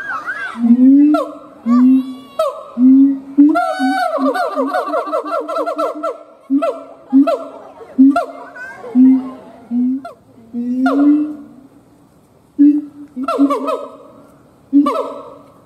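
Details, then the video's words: Siamang howling: loud harmonic barking notes in bursts with pauses, several long wavering calls with rapid pulsed stutters near the fourth second, then clipped barks again toward the end, clear of other sounds. "Siamang Gibbons monkay howling"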